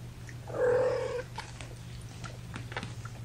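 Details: Young domestic kitten from a five-kitten litter born April 14th to mother Gamora, sitting in a lap indoors on May 10, 2018: one drawn-out, steady mew lasting under a second, followed by faint rustling against a constant low hum.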